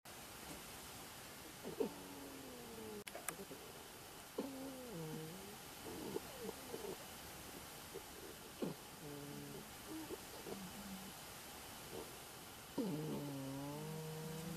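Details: Aurora, a pet anteater, snoring in her sleep: short harmonic, nasal squeaks that bend and drop in pitch, in bursts at irregular intervals, with quiet pauses between and a faint steady background hum.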